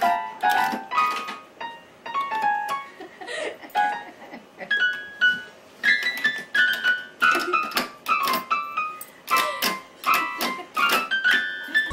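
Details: Bright keyboard melody with plucked, repeated notes playing throughout, no animal sounds.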